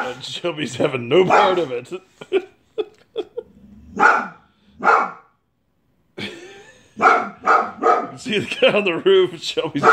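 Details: Angry white female Boxer barking indoors at a man cleaning out a neighbour's gutters: loud, sharp single barks after human talking, a short silence, then a rapid burst of barks mixed with more human voices.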